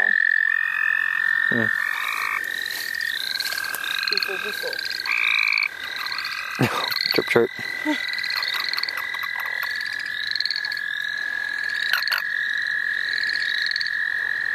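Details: A chorus of frogs in the St. Olaf College Natural Lands during a catching trip: sustained trills with rapid pulsed notes repeating above them, several times a second. Intermittent human talk and handling noises are heard.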